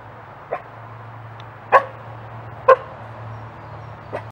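A dingo gives short, gruff coughing barks spaced about a second apart over a low steady hum.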